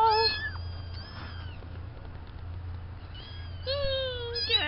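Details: Several plaintive meows from few-weeks-old farm kittens, Spanky's litter of four named Hank, Lydia, George and Wilson. A short call opens, then a pause, then a rising-falling run of overlapping mews. A low hum continues throughout.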